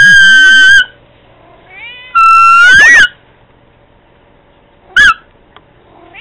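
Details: Pet cat meowing to Candy: three loud, clear, harmonic meows, the first two drawn out and slightly rising, the last a short chirp-like call, separated by quiet pauses in an indoor setting.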